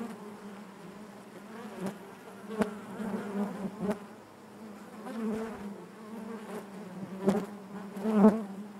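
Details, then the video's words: Steady drone of honey bees within the hive, a low continuous hum with layered harmonics, slowly swelling and fading, with brief knocks and a louder burst of buzzing toward the end. "bees therapy hive natural buzzing sound"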